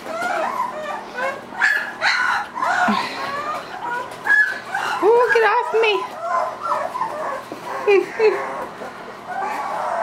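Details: Young Irish Wolfhound puppies, three weeks old, yipping and whimpering in short uneven bursts, some whines dipping low and wavering, separated by brief quieter gaps.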